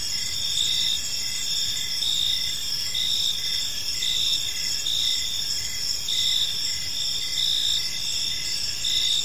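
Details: Crickets chirping in a peaceful park as evening falls, a dense steady chorus of high trilling bands with pulsed chirps repeating about once a second over faint low background noise.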